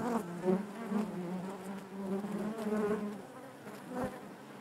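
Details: Honey bees humming in their hive, a steady low-pitched buzz with wavering overtones and a few close bees briefly louder over the mass.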